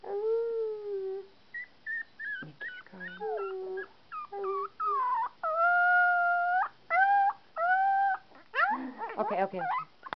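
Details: Male puppy aged 2.5 weeks howling: long steady tonal howls with bent, wavering pitch alternate with short yelps and whimpers, ending in a rough, breaking cry.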